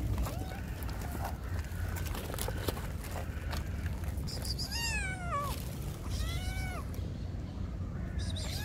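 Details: Hungry kittens with their mother cat at feeding time, strays: two clear descending meows near five and six seconds over steady low background noise, with fainter calls earlier.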